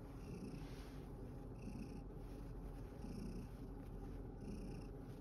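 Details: Satchan, a male rescue cat sharing life at Kazeno Kobo with a grandmother, purrs steadily and low after playing in a field. Soft high-pitched pulses come about every one and a half seconds.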